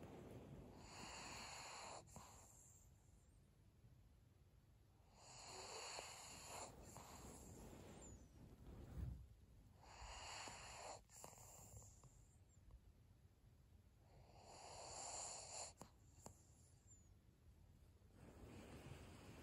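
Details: Senior pug Maria, female, breathing in her sleep, recorded 7 February 2022: soft hissing, snuffly breaths come in broad bursts roughly every five seconds, with quieter gaps between and a faint steady high whine in the background.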